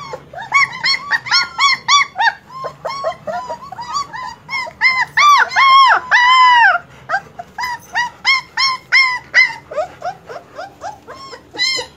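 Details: Several German Shepherd puppies crying together: rapid, high arched whines and squeals tumbling over one another, swelling to louder drawn-out cries midway before returning to quick yelps.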